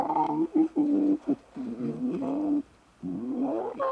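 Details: Playful young lion cubs frolicking and bonding in the wild: a run of drawn-out, moaning harmonic calls, each lasting up to a second, broken by short gaps and a brief silence near the end.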